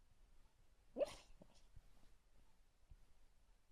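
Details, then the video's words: A sleeping female Beagle puppy gives a single soft, hiccup-like squeak, followed by faint breathy sounds. "Beagle puppy makes some funny noises when she sleeps lol"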